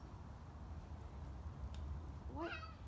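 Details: Stray cat stopping by for a visit at a garage during cleaning, giving one short harmonic meow near the end that rises then falls, over a steady low rumble.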